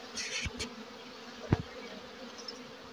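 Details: Asian honey bees (Apis cerana) in a home hive box: a faint, steady low hum of massed wings, broken by a few soft knocks and thumps.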